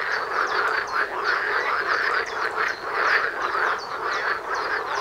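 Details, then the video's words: Loud frog chorus near a home, heard from hundreds of metres off; many croaking frogs call at once in a continuous, rattling wall of sound with rapid repeated pulses. "Froschkonzert vor der Haustüre"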